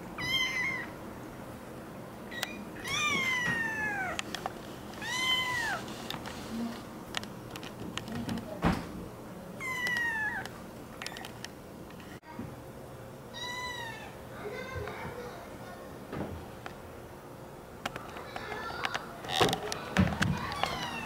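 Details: Meowing American Curl kitten: short, bright, down-curving meows come in spaced bursts near the start, middle and end. Between the calls are tapping and rustling sounds and faint voices.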